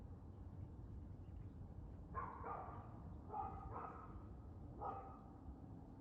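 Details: A dog barking on 2 June 2024 in the early evening, a quick run of about five sharp barks in the middle of the recording, set against a steady low hum of background noise.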